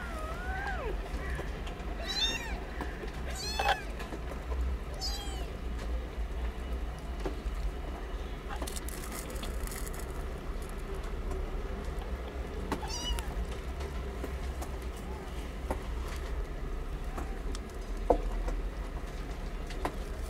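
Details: Newborn kittens from a litter of nine, kept in cat houses in a safe zone while learning to suckle. A burst of sharp, high mews fills the opening seconds, then fades to scattered faint calls amid low rumbling noise.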